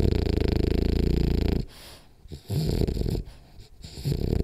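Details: Rolly, a French Bulldog, snoring hard during a power nap; a long rattling, low snore breath fades after about a second and a half, followed by quieter irregular breaths and a second softer snore.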